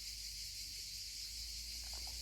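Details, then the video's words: Cicadas singing in the heat on a summer holiday in Corsica, heard from the shade beside water: a dense, unbroken high-pitched buzzing chorus that holds steady throughout, over a soft low rumble of water. "Mais là, je suis à l'ombre avec le bruit des cigales, l'eau."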